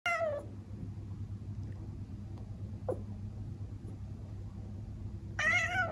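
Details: Traditional Siamese (Thai) cat indoors in the Netherlands, chattering at a bird behind the window that it cannot catch: a short harmonic chirping meow at the start and another near the end, with a quiet room and low hum between.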